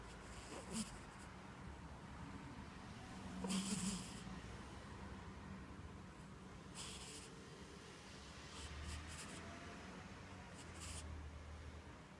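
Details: Orange cat asleep on a comfy couch indoors, snoring in soft, airy bursts that recur every few seconds, with a faint low rumble beneath some breaths.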